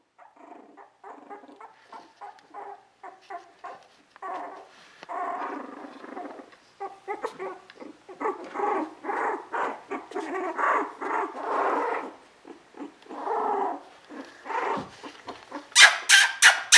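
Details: Sable merle Border Collie litter of Koda and Skye, 2014: a busy run of short whimpering yips and squeaky barks, several voices overlapping and growing louder, ending in a few sharp, bright yelps.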